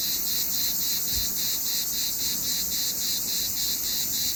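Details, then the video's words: Cicada in summer giving an intense shrill drone with regular pulses close to four per second, with one soft low knock early on. "What does a cicada sound like? Summer in one sound!"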